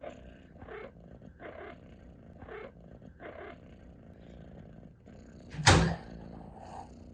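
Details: Pet cat that purrs while she chirps, indoors: four evenly spaced, warbling chirps over a low purr, followed by a loud, sharp thump.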